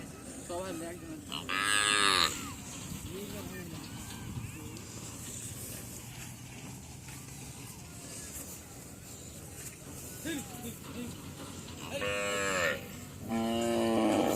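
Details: Deshi cattle at a Padma river char near the India–Bangladesh border: a loud drawn-out moo early on, then quieter sounds and faint voices, with two more bellowing moos close together near the end.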